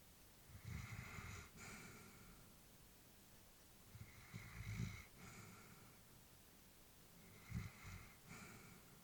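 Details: Sleeping old Labrador bitch, family pet, breathing audibly at rest: three slow cycles of a low snuffly snore followed by a hissing out-breath, spaced about three to four seconds apart, no other sounds in the small room.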